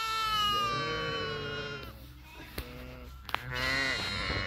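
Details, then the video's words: Grazing sheep giving drawn-out, strongly harmonic bleats, one long wavering call at the start and another rising near the end, with Italian conversation and a couple of sharp clicks in between. "sheep grazing"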